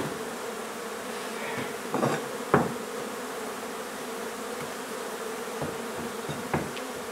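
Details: Honey bees droning steadily while their hive is relocated from an old home in Donna, Texas; an even buzzing band holds throughout, with a few thuds and scraping knocks from the removal work.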